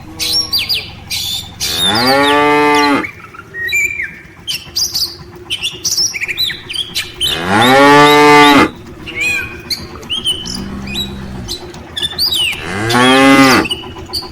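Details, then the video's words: Afternoon return of a tame village cattle herd to its farm shed: three loud, long, harmonic-rich moos several seconds apart with a brief low grunt between, and frequent bird chirps and calls filling the gaps. "suara sapi desa"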